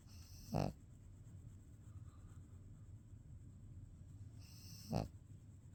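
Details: Two short, raspy snores come from a pet dog sleeping with its eyes open, spaced roughly four seconds apart, with only soft background hum between them.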